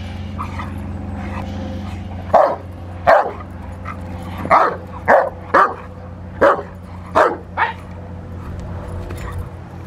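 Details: Rottweiler during protection work on the post, filmed March 27, 2021: a run of about nine loud, sharp barks in irregular bursts from mid-clip onward over a steady low engine hum.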